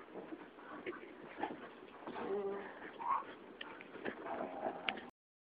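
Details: Two Huskies barking for no apparent reason, giving a rough, irregular run of short harsh barks and yelps with brief tonal whines in between, overlapping one another for about five seconds before stopping abruptly.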